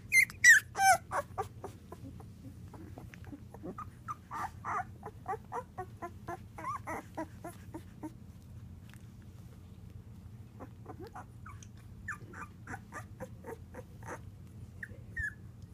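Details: Labrador Retriever pup, nine days old, one of a five-puppy assistance-dog litter born September 2014, crawling and tumbling indoors. Starts with a few louder squeals, then a long run of soft, quick squeaks and whimpers with brief pauses, over a constant low hum.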